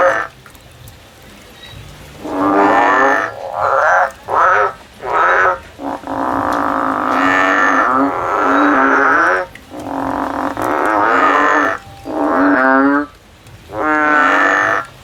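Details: Male frog calling in the field: a run of loud, nasal, bleating calls rich in harmonics, each lasting from half a second to several seconds, separated by short gaps, with quiet background between.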